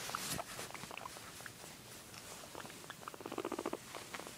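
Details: Indoor guinea pig making soft, short squeaks amid light pattering and shuffling, then a quick burst of rapid pulsed, low rumbling sounds near the end.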